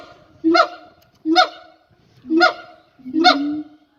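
Siamang song: loud, harsh, honking calls repeated about once a second, each rising sharply.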